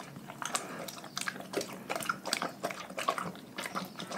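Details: Pack of dogs eating a raw food diet indoors: irregular wet crunches, bites and chewing clicks, sharp crackling bursts every fraction of a second, some slurping, in a small quiet room.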